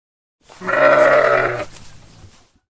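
A sheep gives a single drawn-out, wavering baa lasting about a second.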